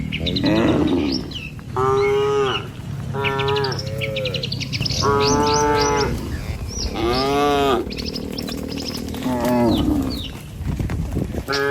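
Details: Tame cattle, dozens herded across a river bridge toward the village each morning to graze: a run of five or six loud, rising-and-falling moos, some overlapping, with bird chirps between them.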